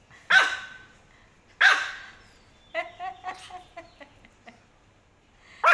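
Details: Pomeranian puppy barking at a garbage lorry as collectors pick up rubbish: two sharp, loud high-pitched barks about a second apart, then a woman talking soothingly, then another bark at the end.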